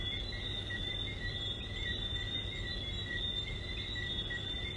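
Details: High, ringing frog chorus with overlapping whistled notes at two pitch levels, steady and unbroken, over a low droning background noise.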